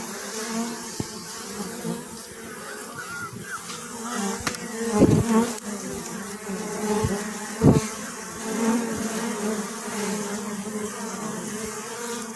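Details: Honey bees humming in a continuous drone, with louder individual bees passing close by in short buzzy swells and a few sharp clicks.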